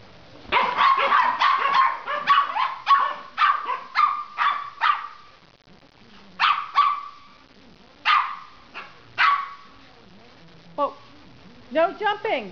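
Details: Silky Terrier with a Papillon puppy enjoying a barkfest: a fast string of shrill yaps, then spaced single barks after a lull, ending in rising, squealing whines.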